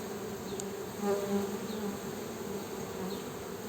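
Honey bees giving a steady, low droning buzz that swells and fades slightly.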